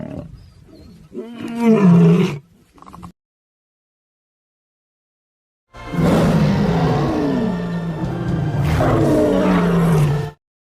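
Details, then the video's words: Lion roaring: a deep, rough burst with a falling low tone near the two-second mark, then after a silent gap a longer, sustained, heavy roar from about six to ten seconds, with music underneath. "Lion | Roar sound"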